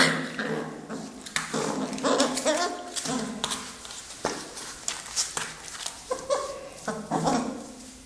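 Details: Pet Mastiff giving short whimpers and whines in tonal bursts that come and go, with faint human voices mixed in.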